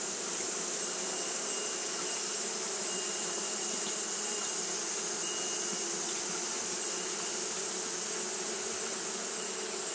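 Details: Japanese honey bees fan on a hot day in a constant low, buzzing drone, with a faint thin tone drifting in midway and a steady high whine and hiss throughout.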